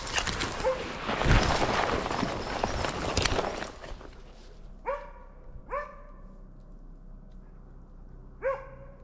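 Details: Arrow, a Slovakian hound, baying at wild boar in a Swedish driven hunt, November 2022: loud rustling and crashing through brush at first, then three separate ringing barks, the last after a longer pause.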